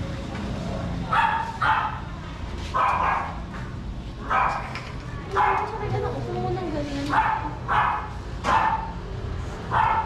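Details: Shih Tzu dogs out for morning sunbathing in the Philippines give a run of short, yappy barks, about one every second, with a faint sliding whine in the middle and a voice and background hum.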